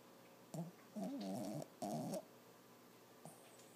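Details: Six-month-old Lhasa Apso Toby, a male puppy asleep and dreaming, makes three groaning, buzzy snore sounds in quick succession. The middle one is the longest, at about half a second. Quiet follows, with one faint click.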